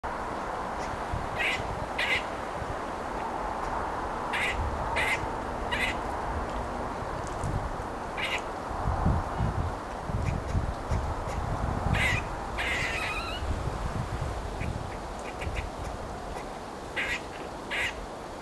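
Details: A grey squirrel at Lackford Lakes nature reserve, Suffolk, UK, gives short, harsh, barking kuk notes in irregular bursts over rumbling wind.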